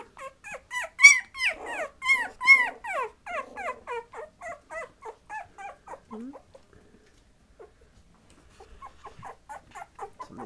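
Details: Patterdale Terrier puppies about 20 days old give a long run of high, whining whimpers and squeaks, each note sliding downward, repeated rapidly for several seconds before fading, then resuming softly near the end.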